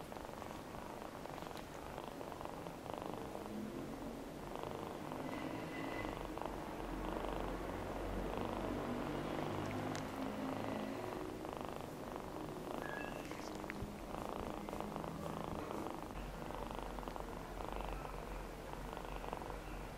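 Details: One-eyed rescued feral kitten Namba purring steadily, a rapid fluttering drone rising and falling with each breath over twenty seconds, joined by occasional faint squeaks and soft handling noises indoors.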